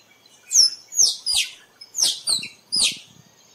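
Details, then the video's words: Squirrel call for attracting squirrels to photograph: six piercing high-pitched chirps in quick succession, each a steep downward sweep, grouped roughly in pairs over about two and a half seconds, with little background noise. "เสียงกระรอกร้อง คมชัดไว้ต่อ squirrel sound"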